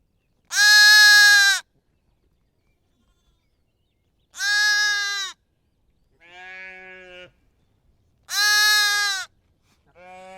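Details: Sheep bleats, a lamb among them: loud, strongly harmonic cries lasting about a second, repeated every few seconds, answered by softer, lower, quavering bleats; otherwise silent background.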